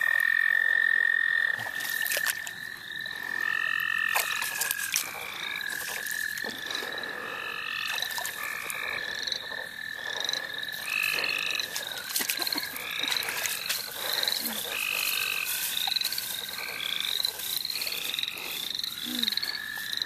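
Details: Frogs calling together in the St. Olaf College Natural Lands: a dense, busy chorus of short rising peeps about four per second, with a thinner steady trill underneath and scattered clicks and knocks.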